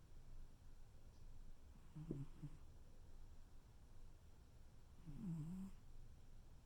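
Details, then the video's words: Cuddling tuxedo cat asleep, giving two faint, low buzzing snores a few seconds apart, the second slightly wavering, in a quiet indoor room. "tuxedo cat cuddle and snore"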